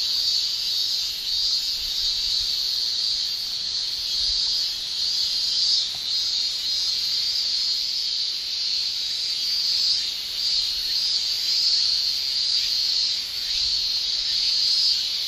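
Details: Male Japanese cicadas shrilling in summer in Japan, a continuous high, dense buzzing drone with slight swells in loudness, steady throughout with no other clear sounds.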